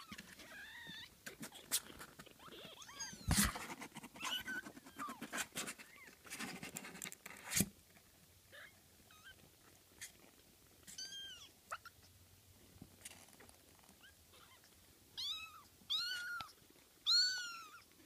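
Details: Kittens at play on 12 June 2014: the first half is thumps, scuffles and clatter, then clear high mews follow, short arched cries in small bursts, louder and more frequent near the end.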